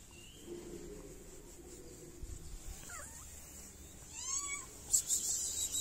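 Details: Stray cat in a Moroccan city, hungry and wanting food and attention; a short, faint meow rises and then falls near the end, amid quiet rustling and a few sharp clicks.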